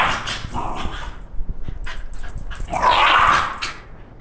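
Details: A female Shiba Inu, excited on hearing it's walk time, gives yips and whines, ending in a louder, drawn-out whining cry.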